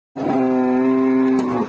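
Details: Cow on a rampage in a market in Indonesia. One loud, steady, drawn-out moo holds a level pitch for about one and a half seconds.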